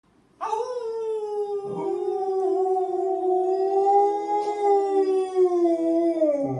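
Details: Alaskan Malamute howling while being teased; one long steady mournful howl, held for about six seconds with a slight rise and fall, rich in overtones, indoors.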